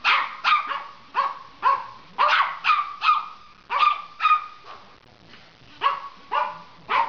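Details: Silky Terrier and Papillon puppy together in a playful barking session: rapid, sharp, mid-pitched barks in irregular bursts, some overlapping as from two dogs, with a short lull near the middle.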